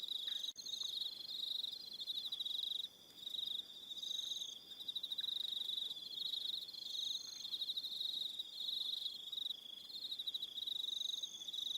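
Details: Crickets on an evening at Aroha Island, New Zealand: a dense, steady high-pitched trilling band with pulsed chirps layered above it, nearly continuous, with one short lull near the three-second mark.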